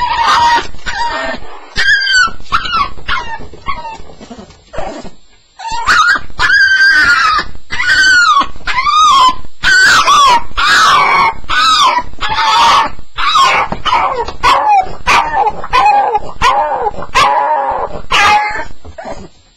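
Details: A Staffordshire Bull Terrier cries through its first night in a new home, a sound the owner calls a nightmare: rapid high yelps and whimpers, about one a second, some sliding downward, with brief pauses between bursts.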